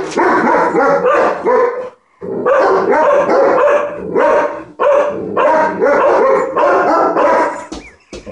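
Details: Dog barking at ladybugs, a loud run of rough, harmonic barks and yelps packed closely together, with a brief silent gap near two seconds before the barking resumes just as intensely.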